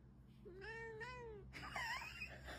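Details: Pet cat meowing indoors; one drawn-out tonal meow gently rising then falling, followed by a shorter bent, nasal meow, with a low steady hum behind.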